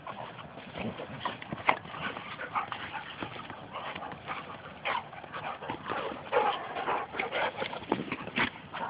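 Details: Two Labrador retrievers playing rough together at home: continuous grumbling growls and snuffling, with short whines and scuffle noises packed closely through the whole stretch.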